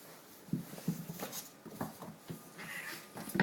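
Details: Cornish Rex and Selkirk Rex cats fighting indoors: low growls and snarling bursts in quick succession, with scuffling thuds and a short higher yowl near the end.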